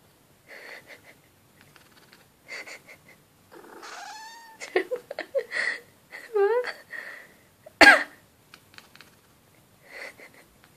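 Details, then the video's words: Female Shiba Inu reacting with annoyance each time her owner coughs; a string of short whiny yelps and warbling, wavering howls with quick pitch wobbles, broken by pauses, plus one sharp human cough near the end. "Shiba thinks coughing is annoying"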